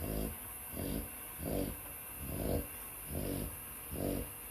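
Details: Sleeping dog snoring: six rhythmic, low, rasping breaths in quick succession, under a second apart, over a steady high-pitched background hum.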